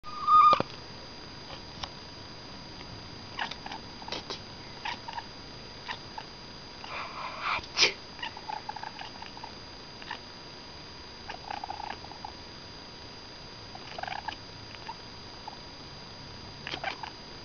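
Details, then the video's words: A domestic cat chatters in quick, soft clicking chirps, scattered across a quiet room, a response it gives when someone sneezes. "Kiki the Cat Chatters/Chirps When You Sneeze"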